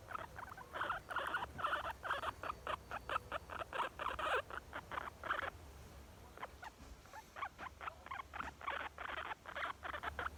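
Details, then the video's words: Content young female guinea pig producing steady trains of clipped squeaky notes, about three per second, a pause mid-way, then the rhythmic series resumes. "Cute young guinea pig makes squeeky sounds"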